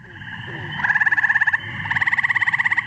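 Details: Eastern gray tree frog call, a playback used to identify the species, likened to a red-bellied woodpecker: two musical pulsed trills, the first about three-quarters of a second, the second about a second, with a short pause between.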